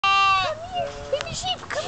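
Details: Little lamb crying for no reason, a wavering bleat with rich harmonics at the start, then softer quavering calls as a person coaxes it to come here.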